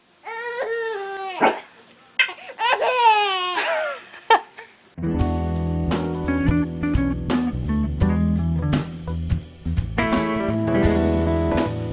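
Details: A baby's voice cries and squeals for a few seconds, then guitar music takes over with no animal heard.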